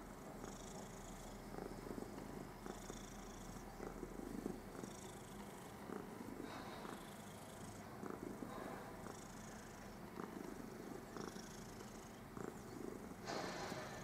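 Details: Contented domestic cat lying on her newspaper, purring in a steady low rumble that pulses gently with each breath, about every one to two seconds, with some faint higher hiss bursts above it.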